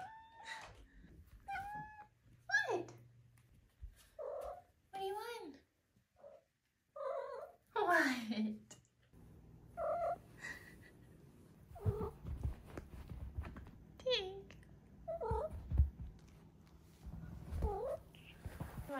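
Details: Five-month-old female Maine Coon kitten indoors making a string of short chirping meows and trills, some rising and falling, mixed with a woman's talking and a low hum.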